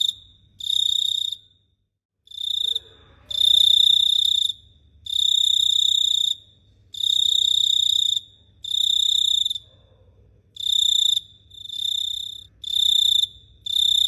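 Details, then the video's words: Night-time cricket in Phteah Prey producing shrill, buzzy trilled bursts about a second long in a repeating pattern, with a faint lower sound briefly heard early on. "The Sound of Cricket Chirping is amazing"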